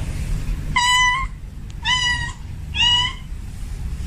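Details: Male domestic cat in heat calling for a female: three drawn-out, harmonic meows about a second apart, each rising slightly then holding, over a low steady background hum.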